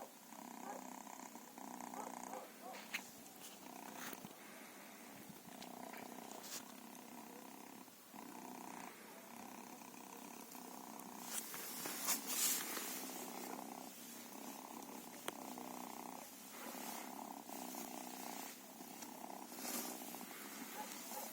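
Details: Quiet, continuous purring from feral cats, its breathy hum swelling and fading in regular cycles, with occasional soft knocks and a brief hiss-like rustle midway.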